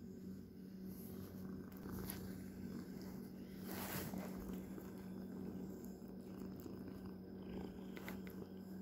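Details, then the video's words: Domestic cat's continuous low purr, a rough even rumble with slight swells in loudness, mixed with occasional rustling and a short scratchy brush sound midway. "Not really ASMR (tho there is purring) My sweet cat"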